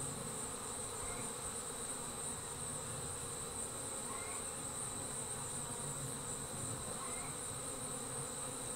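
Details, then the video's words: A honey bee swarm leaving its hive makes a continuous buzzing drone, even in loudness, with a constant high-pitched whine overhead and a few short rising chirps. "Bee Swarm Leaving the Hive"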